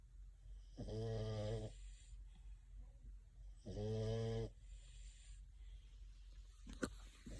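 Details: A sleeping, dreaming French Bulldog snores in low, rattling breaths, each under a second, about three seconds apart.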